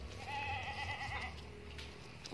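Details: A Boer-cross goat newly bought from a farmer gives one wavering, quavering bleat lasting about a second, its tone trembling up and down over steady low rumble, with a man talking before and after.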